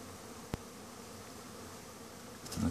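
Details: Honey bees in winter at Langstroth-Root hives during a cleansing flight, after feeding colonies with fondant of powdered sugar, honey and pollen. A soft, even hum of many bees is heard, with one sharp click and brief rustling at the end.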